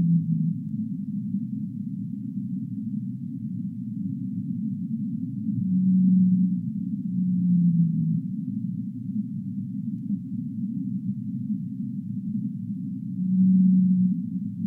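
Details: Whale vocalizing in long, low humming moans at about six and seven seconds, one drifting downward, another near thirteen seconds, all set within a continuous murky low-frequency roar.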